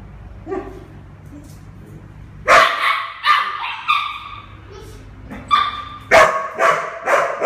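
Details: Mixed-breed puppy, eleven months old, awaiting adoption: quiet at first with faint murmurs, then loud sharp yappy barks from about two and a half seconds, repeated in short irregular series, low hum in background.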